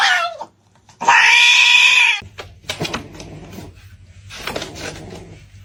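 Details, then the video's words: A fighting cat from a funny compilation: a brief falling meow, then a loud, harsh, buzzy yowl held for over a second, followed by scuffling and quieter broken sounds. "funny cats fighting"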